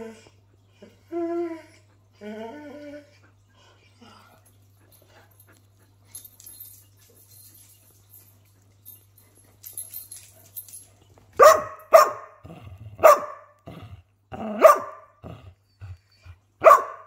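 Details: Pet greyhound barking for attention, in a home with a Doberman. Soft, thin whines open the recording, then after a quiet stretch come six loud, sharp barks about one per second, with light music.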